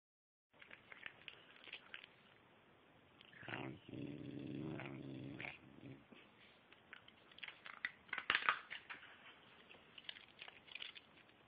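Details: Merlin, a Silken Windsprite dog trained for several months to tell little stories, indoors. Soft clicks and rustles come first, then one drawn-out, moaning, harmonic vocalization of about two seconds, followed by scattered tapping noises.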